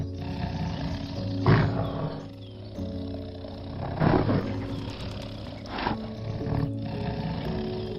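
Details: Lion roaring: three deep, rough, low-pitched roars about two seconds apart, each a short swelling burst, over a steady background of music.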